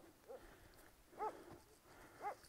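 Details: Zalim, a Kangal shepherd dog stuck on rocky ground, gives three brief tonal whimpers spaced about a second apart, the later two louder and more arched, against a low outdoor hum.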